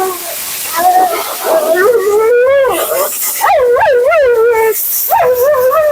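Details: Talkative female Siberian Husky Mila during a bath and grooming: fluid, yodelling moans that swoop up and down in pitch over about six seconds, with a loud hiss of water or a dryer behind.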